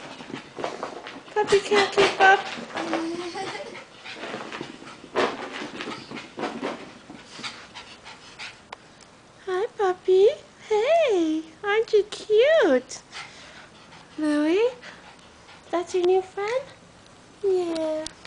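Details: Chow Chow puppy, about seven weeks old, playing indoors with a bichon named Louis; panting and scuffling, then a run of high, wavering whining yelps in the second half, with voices in the background.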